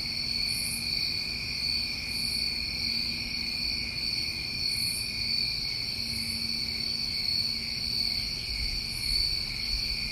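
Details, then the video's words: New England summertime crickets recorded outdoors, a dense chorus of steady, unbroken high trilling in several layers, with brief higher shimmering bursts repeating every second or two over a faint low rumble. "Tinnitus Masking With Crickets"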